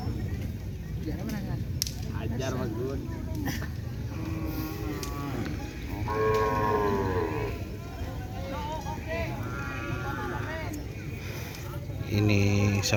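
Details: Cattle at a group training session on a track, a young animal's first outing there: several arching harmonic moos rise and fall between four and eleven seconds over steady music, clicks and crowd chatter, ending with a loud burst.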